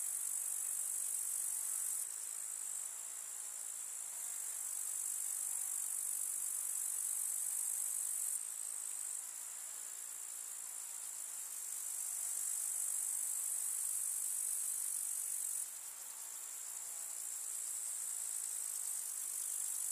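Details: Grasshoppers in a summer meadow with wildflowers in the Russian countryside: a dense, continuous high-pitched insect stridulation, swelling and dropping in bursts lasting several seconds, with no other clear sounds.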